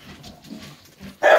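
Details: Five-week-old Staffordshire Bull Terrier puppies with their mother Rubis, filmed indoors on 2 December 2023: soft, low murmuring and shuffling, then one sudden loud, short yelp bursting out at the end.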